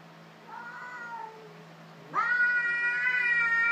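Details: Domestic cats fighting: a soft wavering meow, then a sudden loud, harmonic-rich yowl that rises sharply and holds steady, with a low steady hum underneath.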